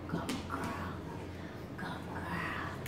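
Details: Luna, a pet wolfdog, vocalizing back in conversation with her owner indoors in a small room: two soft, tonal, whine-like calls, one near the start and a rising one near the end, over a low steady room hum.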